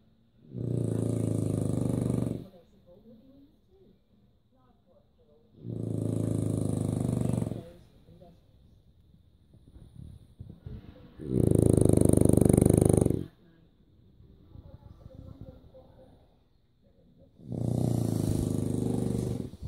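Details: French Bulldog snoring while asleep: four loud, rough, low grunting snores, pig-like, each lasting about two seconds and coming roughly every five seconds, with quiet breathing between them.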